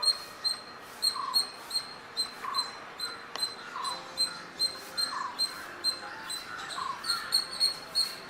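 A squirrel chirps repeatedly, each note a brief, bright, high-pitched chip with a fainter lower tone beneath it. The calls come in a brisk, fairly even rhythm, about two or three per second, over a soft background hiss.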